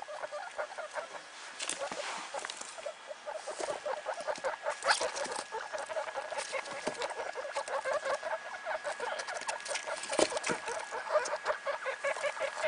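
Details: Newborn guinea pigs, a litter of three just one day old from Sheba, a Mini Yak crossed with Rex, keep up dense, fast chattering squeaks with harmonics, over soft bedding rustle.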